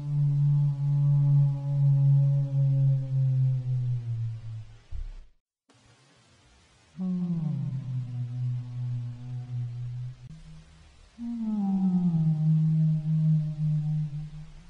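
Humpback whale song: long, low moaning tones that sag slightly in pitch, rich with overtones.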